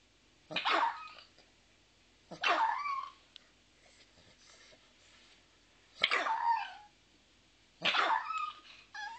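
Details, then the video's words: Small pet dog giving a cute little bark: four short, sharp, yappy barks spaced about two seconds apart in a quiet room. "Doesn't Lucky have the CUTEST little bark?"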